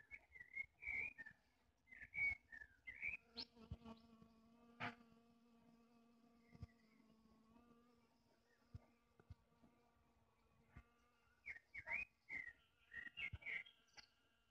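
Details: A foraging honey bee visiting wild wine blossoms gives a steady, low wing buzz amid a generally humming area, beneath loud whistled bird calls.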